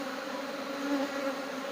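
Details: Swarm of honey bees while honey is being taken out, a continuous low buzzing drone with a slight swell in loudness near the middle, otherwise level and unbroken.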